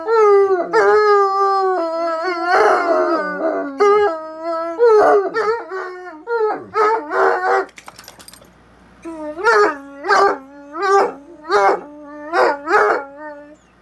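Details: Two Bloodhounds in a long howling exchange: irregular overlapping howls with swooping pitch, a brief lull near eight seconds, then a steady series of about eight short rising howls in regular succession.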